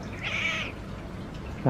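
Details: Pet cat gives one drawn-out, whining meow over steady low background rumble, followed by a brief thump.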